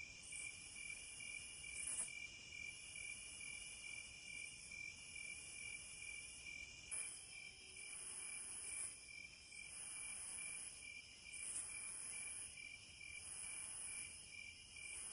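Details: Crickets trilling continuously at a high, piercing pitch, with regular soft pulses and a brief faint low tone partway through; the chorus otherwise stays steady.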